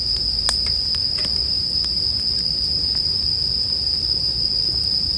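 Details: Bell crickets in a sleep-music mix: a steady, unbroken high ringing tone runs throughout, joined by the sharp pops and crackles of a burning campfire, with several loud snaps in the first two seconds.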